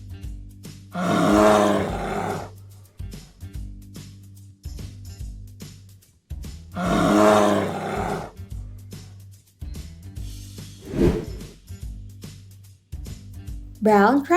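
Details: Kodiak bear roaring twice, harsh, broad, growling roars about one and a half seconds long and six seconds apart, with a brief fainter growl afterwards, all over background music.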